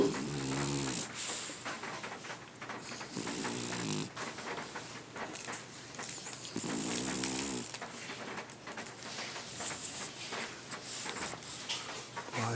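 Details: French Bulldog asleep indoors, snoring loudly: low rasping, harmonic-rich snorts in irregular bursts about every three seconds, with lighter wheezy breaths between and a faint steady high hum in the background.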